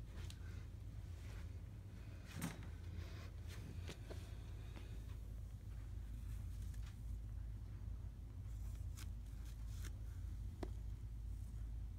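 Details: Quiet indoor room with a steady low hum, scattered clicks, rustles and faint scraping, and no animal calls heard.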